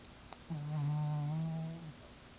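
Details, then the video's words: Brownie, a sleeping dog, lets out one drawn-out low snore of about a second and a half, a steady droning tone with faint overtones, in a quiet indoor room; a soft human murmur follows. "Brownie the Snoring Dog"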